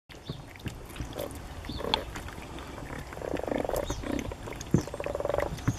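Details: A common frog from a garden pond holding dozens of frogs gives low, grating, purring croaks in short pulsed bursts.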